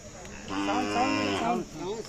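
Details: Khillar cow offered for sale at the Athani fair, Belgaum district, 23 April 2024; a single loud drawn-out moo with a rich harmonic stack, rising then falling over about a second, ending in a short lower grunt.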